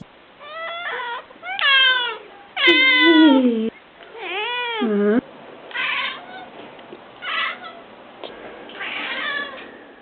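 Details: Cat giving a run of loud, drawn-out meows, some rising and falling, one strained and whining, followed by softer, shorter mews toward the end.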